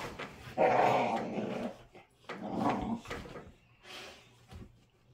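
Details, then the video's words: Two American Pit Bull Terriers wrestling in play, a baby-toothed puppy and a patient adult rescue; harsh, throaty snarling in two strong bursts, then softer grumbling growls trailing off in a small room. "Pit Bull Puppies wrestling: Epic Growling & Snarling"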